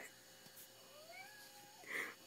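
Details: Ginger kitten whining at night after being denied the balcony; a thin, drawn-out tonal whine bends upward then levels off, ending in a brighter, louder meow, set against a quiet indoor room.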